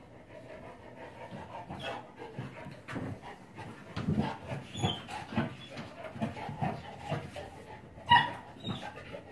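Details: Four-month-old Neapolitan Mastiff puppy playing with an exercise ball, breathing in quick rough pants mixed with thumps and scuffling of play, a brief sharp knock near the end.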